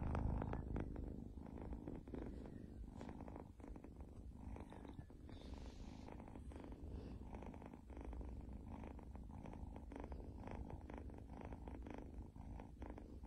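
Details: House cat purring close by, a soft rhythmic low rumble that stays constant for the whole stretch, with a faint brief rustle partway through.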